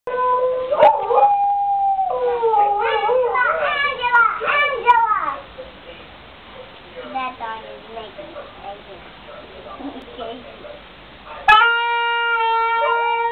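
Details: A dog howls in wavering, rising and falling tones, singing along as a horn is played, then a steady horn note sounds.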